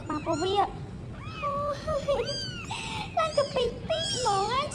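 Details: Homeless kittens meowing: several high, arching meows with rising then falling pitch, some drawn out, heard over a person talking throughout.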